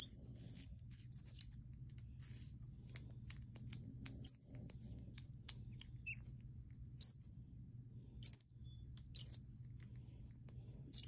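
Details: A four-week-old baby Common Squirrel Monkey named KobiJae, a weaned house pet, at his first taste of apple: scattered shrill squeaky peeps, single or in quick pairs, with quiet gaps and a soft background hum.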